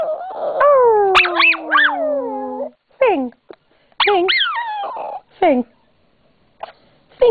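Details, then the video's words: Pet yorkie/papillon mix howling on command: a long, slowly falling tonal wail, then a series of short, sliding, yelping howl notes broken by pauses, with the owner coaxing "sing" nearby. "My Dog Lola is one singing BITCH! Woof!"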